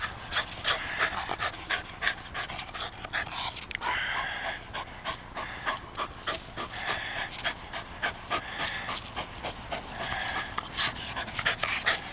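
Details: Rescue Rat Terrier named Jack panting hard while playing fetch with a ball, rapid rhythmic breathy pulses about three per second, steady and energetic throughout.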